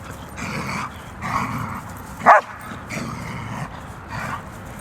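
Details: German Shepherd dog barking: a single sharp bark stands out among softer, muffled low vocal sounds over steady background noise.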